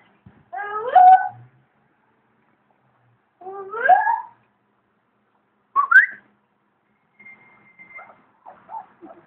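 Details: German Shepherd puppies at feeding time on 6/11/2011, with the adult dog Nicky nearby: two drawn-out harmonic whimpering cries, then a short sharply rising whine, followed by a few faint soft squeaks near the end.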